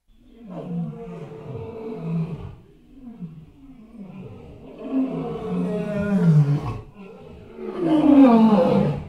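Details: Elephant calling with deep, rough roaring bouts that sweep downward, separated by brief pauses, growing louder and harsher toward the end.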